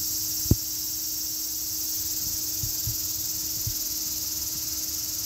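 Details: Unbroken high-pitched cicada drone, steady and hiss-like, with a sharp click near the start and a few muffled low thuds.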